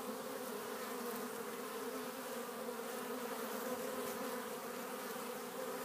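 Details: Honey bees at a Warre hive entrance in spring, April 12th, flying in with loads of pollen. Dense, unbroken humming with a steady pitch and gentle flickers of loudness.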